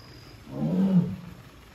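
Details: A captive female Amur tiger at Hamamatsu Zoo, Japan, on 24 September 2023, calling her keeper because she cannot open the door herself; one short, low, breathy moan swelling and fading over about half a second.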